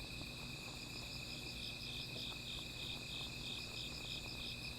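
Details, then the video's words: Dense insect calling at night near a small fire: a constant shrill whine under fast, evenly spaced pulsing chirps, about three per second, over a low background hum. "Sound of Insects"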